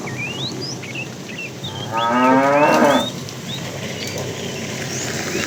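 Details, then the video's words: Tame fat bull calling a female while a herd of cows is driven in the afternoon; one harmonic moo lasting about a second, rising then steady, with many birds chirping and whistling around it. "The funny sound of a fat cow calling the female"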